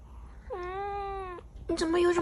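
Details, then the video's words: A cat with a kitten gives one long, even meow lasting nearly a second, followed by a louder, harsher burst of another sound at the end. "Cat and cute kitten 😸 || Cat Meowing"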